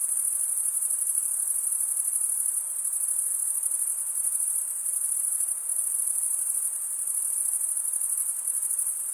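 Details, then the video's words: Steady high cricket trill from stridulating males, a shrill, pulsing ring that never pauses, with slight dips in loudness and quiet background otherwise. "cricket sound"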